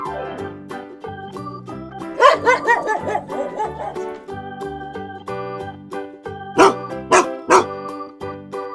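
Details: Dog barking in two bursts: a quick run of several barks early on, then three sharp, evenly spaced barks later, all over upbeat children's keyboard music.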